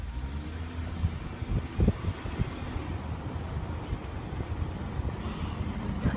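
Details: A steady low engine rumble with wind noise and faint voices, and no clear animal call.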